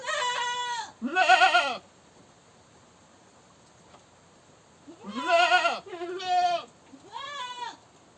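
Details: Goat screaming in long, harsh, quavering bleats: a strong pair at the start, then silence for about three seconds, then a burst of three more wavering cries in quick succession.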